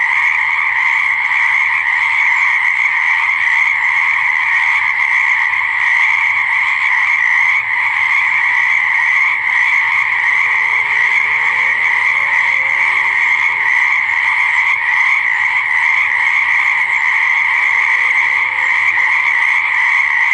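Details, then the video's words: A steady, shrill chorus of croaking frogs by a pond or swamp runs for twenty seconds. Faint lower, sliding calls surface briefly in the middle and again near the end. "Croaking Frog Sounds and Noises, Animal Sounds by the Pond/Swamp!"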